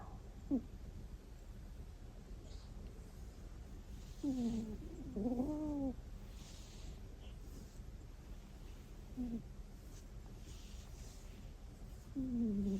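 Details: A pet cat asleep and snoring: a squeaky, nasal 'kuu' sound that falls in pitch, heard about five times at uneven gaps in a quiet room.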